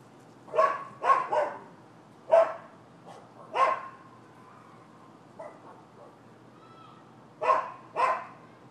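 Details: Neighbours' dogs barking on 7 December 2015, a nuisance complaint: sharp, mid-pitched barks in quick pairs and triplets, about eight over nine seconds with short silent gaps, a faint whine-like tone in between.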